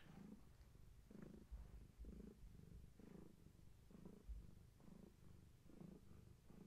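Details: Steady purring from Gaia, a pregnant long-haired tabby nearing birth, at bedtime; deep, even rumble pulsing in regular breath cycles under a second apart, quiet room otherwise.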